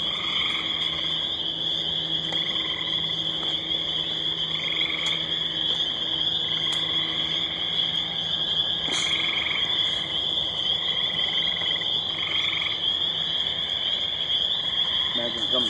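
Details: At night near water, loud spring peepers keep up a steady, shrill wall of high peeps while gray tree frogs cut in with short, lower, rattling trills every second or two; a person speaks briefly.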